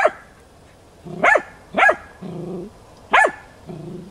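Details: Tina, a hunting dog working young wild boar in training on 6 March 2013, gives three sharp, ringing barks with lower grunting or growling sounds between them.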